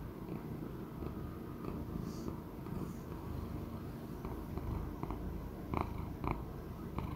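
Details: Sixteen-year-old male Persian Chinchilla cat named Choux, adopted after once being abandoned, purring indoors: a steady low rumbling drone with a few faint clicks and light higher-pitched noises over it.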